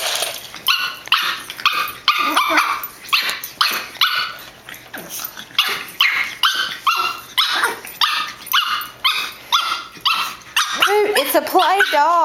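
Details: Pug, a female, in fierce play with another dog, acting the boss: rapid harsh growl-barks repeated about twice a second for the whole stretch, ending in a few higher wavering whines; people talk and laugh faintly.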